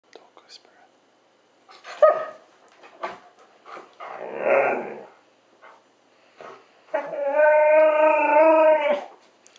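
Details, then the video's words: An Alaskan Malamute "talks" to its owner after a walk in rough grumbles, then a long, wavering, moaning howl-like vocalisation likened to Chewbacca. "Alaskan Malamute does his best Chewbacca impression"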